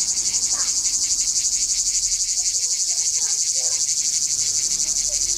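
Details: Characteristic sound of a cicada in a tree in Izola's Jagodje area, Slovenia: unbroken loud high-pitched rasping drone, evenly throbbing roughly four times per second, soft bird notes in the background.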